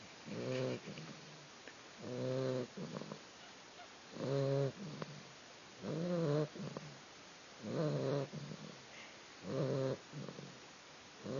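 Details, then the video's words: New puppy, a female, snoring in her sleep with regular rattling inhalations, six buzzy rasps roughly two seconds apart and short quieter snuffles between. "Snoring puppy"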